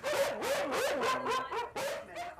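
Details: Several domestic dogs at an overcrowded property, where rescuers hope to rehome some of them, give a rapid run of overlapping barks mixed with whining, high yelps and short pauses, with faint music underneath.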